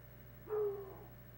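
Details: A hound dog on the scent of something in the woods lets out a single short drawn bay, a smooth held howl sliding gently downward, over a constant low background hum.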